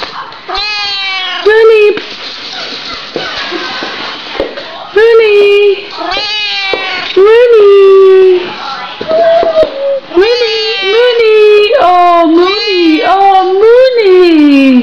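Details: A Siamese cat, with a Doberman puppy nearby, gives loud, drawn-out meows that rise and fall, repeated many times, while a person talks.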